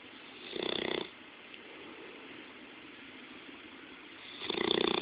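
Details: An up-close sleeping Bloodhound gives two vibrating, rattly snores about four seconds apart, with quiet breathing in between.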